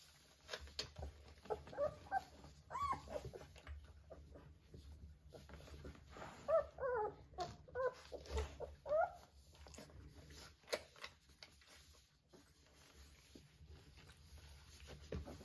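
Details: Three-week-old Vizsla puppies playing with their mother at a kennel, giving high whimpering yips with curved, bending tones in scattered bursts, most between two and ten seconds, with soft shuffling and bumping sounds indoors.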